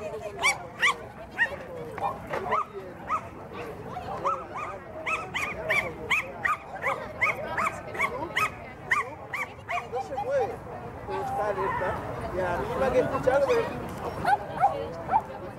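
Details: Welsh Terrier Bertha during a mini grade 3 agility run at Agility Neo Reus, 09/12/18, barks in a fast steady series for about ten seconds, then crowd noise and voices take over with a few later yips.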